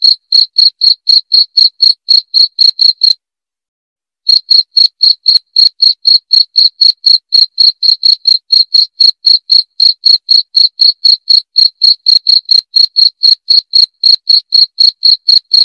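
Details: A cricket's shrill chirping, used as a rat repellent, pulses rapidly about four times a second, stops for roughly a second near the three-second mark, then resumes at the same steady rate.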